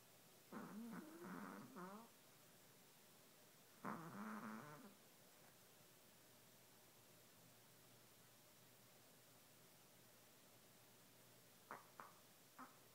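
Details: Chihuahua asleep after a long day; two drawn-out, wheezy, wavering snores about three seconds apart, then near silence broken by a couple of brief faint snorts near the end.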